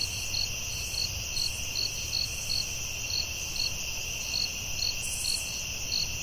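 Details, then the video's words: At night in the forest, crickets produce a piercing sustained drone topped by quick pulsed chirps roughly every half second, over a quiet low background hum. "Soothing Cricket🦗 Sounds at Night"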